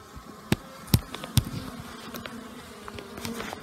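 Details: Honey bees out flying on a pleasant, unusually warm new-year day after a night of torrential rain; a low steady hum runs under several sharp knocking thumps near the start.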